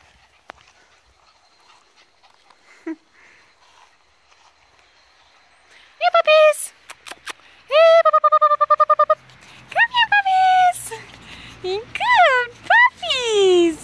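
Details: Fourteen Border Collie puppies at play in a field: after a quiet start, a burst of high, arching whines and yelps with bright overtones, some in quick stuttering runs, others drawn out and falling, several overlapping toward the end.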